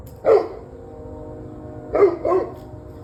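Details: Dog barking on 21 November 2023 around 7:06 pm: one sharp bark, then a pause of about a second and a half, then two quick barks close together, over a low steady background hum.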